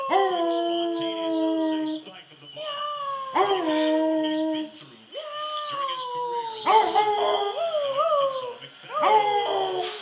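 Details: Basset Hound that howls whenever someone meows like a cat, giving a series of drawn-out, wavering howls, some sliding down and others bending up and down, separated by brief pauses, with faint human voice mixed in.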